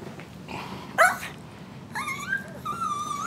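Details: Pug whining because of a hat, with a brief sharp sound, then two drawn-out, high whimpers with a slight waver, the last held steady and nasal until the end.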